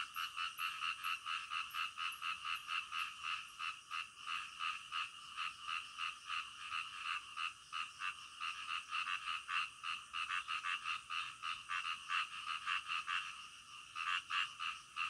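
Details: At night, many frogs croak together in a dense, rhythmic pulsing chorus that holds steady throughout, with brief louder clusters near the end.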